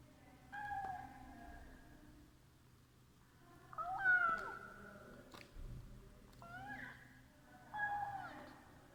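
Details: House cat making meow sounds during a meal: about four softer, wavering meows, one drawn out and bending, with faint low murmuring between calls.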